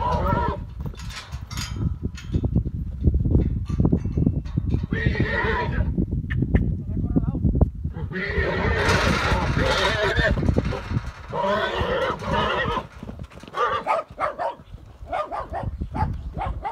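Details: Herd of Pura Raza Española horses and mares, fighting as a new young stallion joins: several shrill whinnies come in bursts among heavy hoof thuds, scuffling and human voices.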